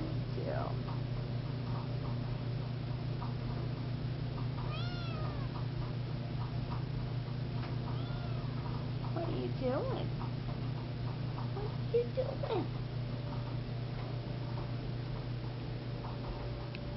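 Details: Alexy, a seal point Siamese kitten, gives a few short, thin meows with curved rising-and-falling pitch, spaced several seconds apart, over a steady low hum while a person talks gently to it.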